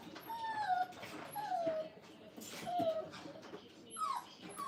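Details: Five-week-old Brittany puppies in a kennel being crate trained, one wanting to be held, giving drawn-out, gently falling whines about once a second, with a thin rising yelp near the end.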